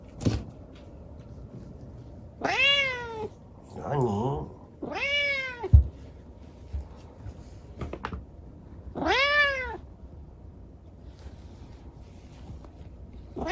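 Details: Night-time chatter from a rescued kitten left lame by an accident: three long arching meows with rich harmonics, a brief rougher vocal between them, and soft knocks and handling noises in a small room.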